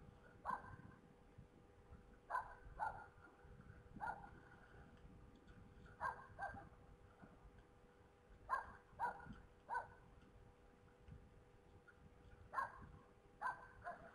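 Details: Red deer stags fighting in Poland on 3 November 2017 at 21:01, at night: sharp clacking knocks arrive in irregular bursts, often paired, every one to two seconds, over a steady low hum and rumbling background noise.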